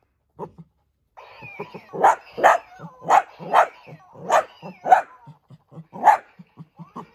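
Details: Miniature dachshund, a female pet indoors, playing with an old toy: a run of sharp, high yapping barks, about ten in seven seconds, some clipped and whiny, after a brief pause at the start.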